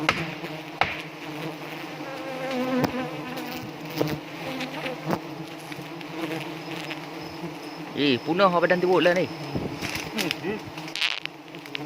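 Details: Steady, low, layered droning of a honey bee swarm in South Aceh, Indonesia, being installed at Pucok Krueng, where the handler gets stung. A wavering human voice rises briefly near the end, with scattered taps.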